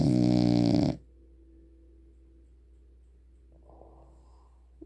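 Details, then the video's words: French Bulldog Leonel Messi asleep at home, whose snoring persisted after rhinoplasty: a single heavy, rattling snore lasting nearly a second, followed by near silence and soft background murmur. "Спящий храпящий французский бульдог"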